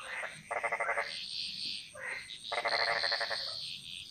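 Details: Frogs calling in a jungle chorus in Bali, Indonesia: loud rapid pulsed croaking bursts repeated twice, each under a second long, over a steady high insect buzz and scattered higher chirps from other callers.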